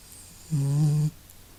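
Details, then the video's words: Snoring cat named Masya, indoors: one short, steady, deep hum-like snore lasting about half a second, rich in low tones, set against a faint room background. "Мася сопит и храпит! | Masya snuffle and snores!"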